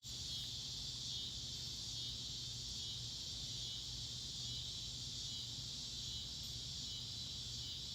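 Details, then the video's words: Crickets at night, recorded in 2022: a faint, steady high-pitched trill that holds on without a break, with a low hum underneath and no other clear sounds. "Cricket Chirp Sounds At Night"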